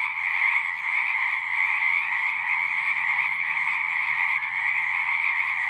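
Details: A full chorus of frogs at a pond in a horse pasture, taped with a Zoom 6, pulses slightly in loudness as a dense trilling band sits over a quieter low rumble.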